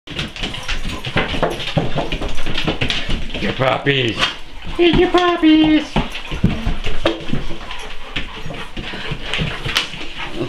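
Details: Five Dogo Argentino puppies at indoor bath time in a chaotic scene, giving high, wavering whines and yelps in short bursts, mixed with steady human talk and clattering household noise throughout.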